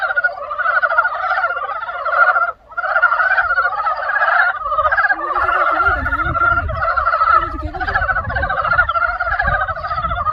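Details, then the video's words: Spring frog chorus of rapid, overlapping rattling croaks, broken by a short pause near the start, then steady again, with a low rumbling background and a faint lower wavering sound partway through. "개구리소리 the sound of frog broke spring"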